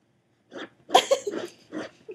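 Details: Ginger, a pet dachshund, digging at the couch before a nap. She gives a quick series of short, breathy snorts and huffs, four or five rough bursts within two seconds.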